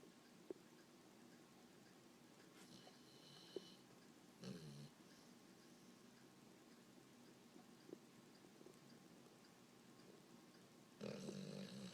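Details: A male English Bulldog, just back from playing at the beach, snores in low, rough bursts separated by quiet stretches; his owner suspects he is dreaming.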